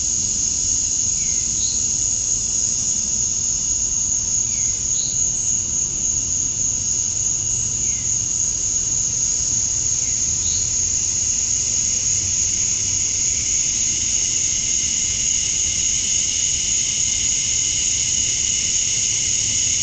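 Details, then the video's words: On a summer night at dusk in Georgia, USA, male cicadas chirp for females: an unbroken high-pitched whine throughout, overlaid by faint brief falling chirps, likely birds, roughly every three seconds. "Cicadas at Dusk, Summer Night"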